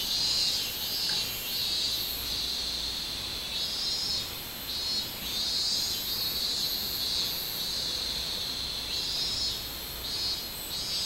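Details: Minmin cicada singing on 24 July 2016: a high, shrill, pulsing drone, swelling and fading in repeated bursts, with an even higher sizzling band pulsing above it throughout.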